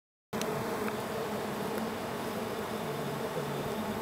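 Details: Two bees wrestling over a single flower, giving a steady, dense buzzing hum that holds at an even loudness for about four seconds after a brief silence.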